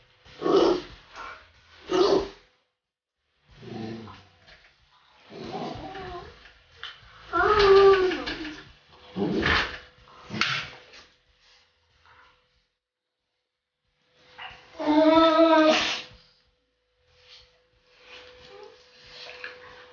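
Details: Pit Bull puppy playing with another dog named Ice: short harmonic growls and yelping barks in bursts, with a longer strained growl-whine midway and another near the end, and scuffling noises between.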